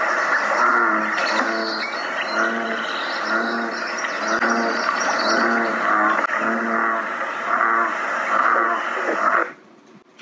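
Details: American bullfrog, a species heard May through July, giving very low, deep bass calls repeated in a steady rhythm, somewhat like distant lowing cows.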